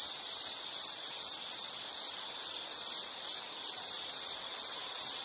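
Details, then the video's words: High, rapidly pulsed insect chirping in repeated short bursts about two or three each second, constant and loud throughout, from a relaxing nature sounds series. "Nature Sound of nature sounds scenery L · insect"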